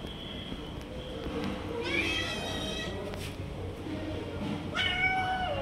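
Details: Cat snatching food from other cats and not letting them eat, giving two drawn-out, harmonic meows over steady background noise; a thin high tone is heard at the start.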